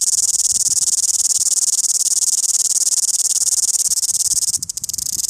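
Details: Cicada singing loudly in Wellington, a rapidly pulsing, high buzz held steadily, then briefly interrupted near the end before resuming.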